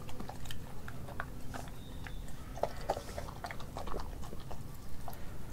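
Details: Nala, an Australian Kelpie and German Shepherd mix dog, eating raw meats such as beef liver, beef heart, chicken feet and chicken thigh; wet, irregular chewing and biting clicks over a low steady hum.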